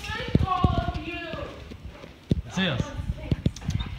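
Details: Great Dane whimpering with joy when its owner comes home, wavering whines that slide up and down, one sharply falling cry midway, with people talking and claws tapping.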